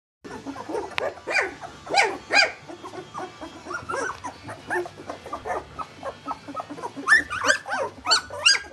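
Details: Litter of two-week-old puppies taking wobbly first steps, many overlapping short high squeaks and whines, some rising then falling, bursting every half second or so in uneven clusters, with several louder sharp yelps near the end.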